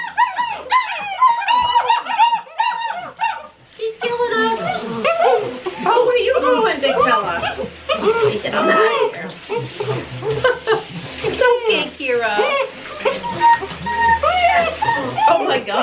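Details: Great Dane puppies, six weeks old, protesting their first-ever bath; a steady chorus of high wavering whimpers from several pups overlaps with a woman's comforting speech and splashing water.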